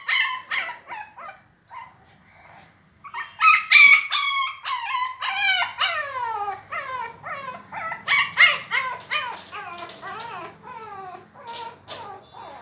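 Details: Sandy, a Shih Tzu puppy, battles a door to open it, letting out shrill, excited yips and whining barks in fast uneven bursts after a brief pause, some sliding downward in pitch.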